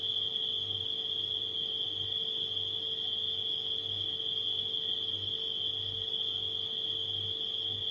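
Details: Nighttime cricket chorus as an even, sustained high trill with no breaks, accompanied by a deep refrigerator hum that throbs in soft pulses roughly once a second.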